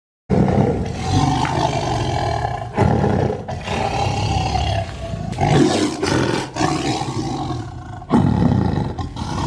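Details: Indonesian Sumatran tiger with loud, throaty roars in repeated surges roughly every two to three seconds, rumbling low tones under a coarse, noisy rasp.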